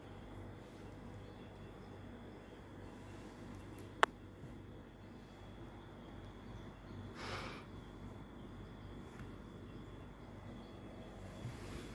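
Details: Quiet indoor hiss with a single sharp click and a brief soft rustle, and no animal voice.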